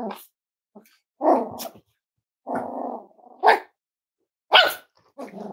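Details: Cavalier King Charles Spaniels indoors at Red Barn Cavaliers on a chilly Thursday morning, with five-week-old puppies around: short rough growling bursts and sharp barks, irregular, about one each second, with brief quiet gaps and faint voices.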